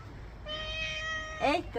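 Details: House cat during a bath, giving a steady, level, nasal meow held for about a second, ending in a brief bent yowl, over splashing background noise and a woman speaking Bengali.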